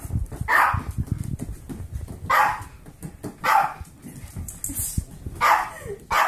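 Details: Foster Pomeranian Kirby, 8 years old, at play with adopted 8-week-old golden retriever mix foster puppies; four or five loud, separate barks spaced about a second apart over rustling and scuffling from the romping dogs.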